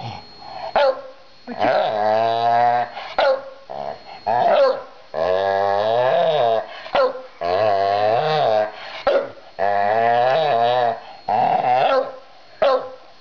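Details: Domestic dog voicing its feelings about its new busy bee toy, a long series of grumbling, groaning growls of one to two seconds each, rising and falling in pitch and broken by brief gaps and small yips.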